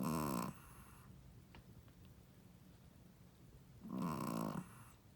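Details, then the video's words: Snoring Shih Tzu mother, a first-time mother, asleep. A raspy snore fades out at the start, and after a quiet gap of about three seconds comes another long, rattling snore. "How loud does a shih tzu mommy snoring?/ Shih tzu snoring"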